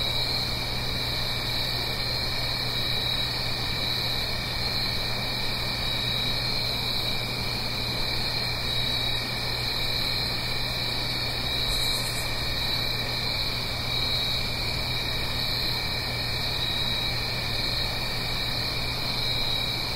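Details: Night-time autumn crickets in the Blue Ridge Mountains near a gentle stream, in stereo: an even, ceaseless high-pitched trilling chorus, with a short pulsed burst of a higher buzz near the middle and a low steady hum beneath.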